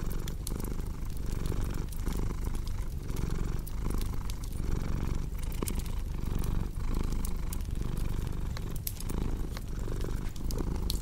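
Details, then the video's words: Domestic cat giving a continuous deep purr, its low vibrating rumble pulsing in breath cycles roughly once a second, paired with a cozy crackling fire that adds frequent bright pops and crackles, arranged for deep sleep and relaxation. "Purring Cat with Cozy Crackling Fireplace Sound"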